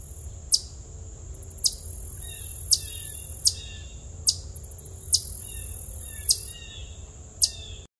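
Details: Eastern chipmunk (Tamias striatus) gives sharp, dry chirps roughly once a second over a steady high insect hum; recorded September 17, 2021, 3:42 PM.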